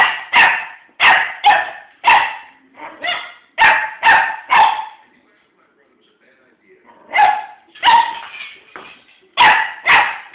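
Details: One-year-old puppy excitedly playing with a fake pumpkin indoors; sharp high barks in quick bursts of two to four, a short pause near the middle, then more rapid barking.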